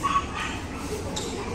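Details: Kala, a German Shepherd, reuniting with her owner: a couple of short, sharp barks near the start, then a quieter yelp, over a steady low rumble of background noise.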